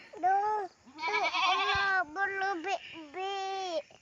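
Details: Goats raised by the family, visited at their enclosure; several loud, drawn-out nasal bleats separated by short pauses, one with a wavering, quavering middle, the others held fairly steady in pitch.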